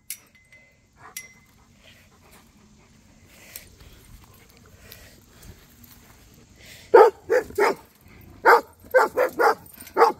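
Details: Cody, a Rhodesian Ridgeback, chatting with Duchess and neighbour dogs: after several quiet seconds of faint background noise, a burst of loud, sharp barks, some doubled, comes in quick irregular succession.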